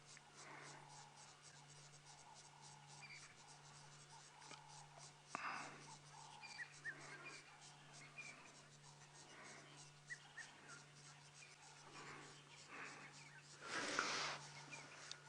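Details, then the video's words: Insects call in a steady, rapid, high-pitched pulsing at sunset on 18 December 2016 beside a small pan of water behind Twin Dams at Djuma Game Reserve, with soft human voices and a low electrical hum. "You can hear the insects calling."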